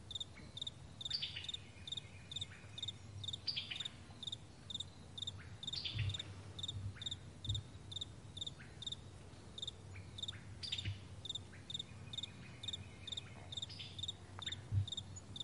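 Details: Crickets chirping in the morning on a wide meadow, May 2020; an even, high-pitched pulsed chirp recurs about twice per second throughout, overlapping a softer second chirper, with occasional faint falling notes and a steady low drone.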